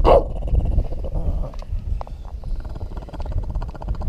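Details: Dog guarding his Christmas hot dog lets out one sharp bark, then a long, low rumbling growl that goes on beneath background music.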